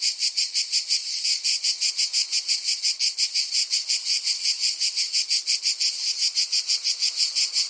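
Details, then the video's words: Rhythmic, piercing cicada drone, each high buzzy pulse following the last at roughly three per second, steady and unvarying. "Cicada Sound Effect"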